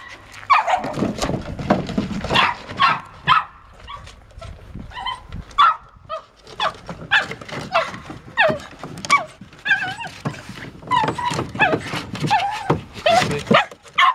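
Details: Patterdale Terrier barking in quick, uneven bursts: sharp barks and higher yips follow one another roughly two or three a second for about fourteen seconds, with a person speaking just before.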